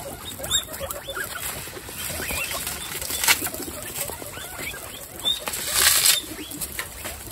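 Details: Guinea pigs in a pet group of twenty-seven at a healthy dinner: scattered short rising squeaky chirps over rustling, crunching and pattering feeding noises.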